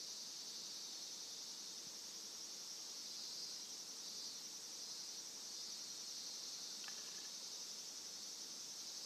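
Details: Continuous high-pitched buzzing of cicadas, the sound a pet Somali cat stands upright to alongside crow calls; the drone stays even and dense, with one brief faint tick near the end.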